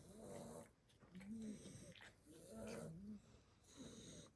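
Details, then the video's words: Sleeping seven-week-old blue Staffordshire Bull Terrier puppies, worn out after a Christmas party, breathe in low rasping snores that swell and fade in slow waves, each with a short humming tone, about one breath cycle per second. "Sleepy snoring staffy puppies"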